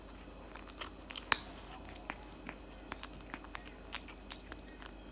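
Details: Cat food being eaten by a cat, with loud close crunching; one very sharp crack early, then regular crisp bites every half second or so in a quiet indoor setting.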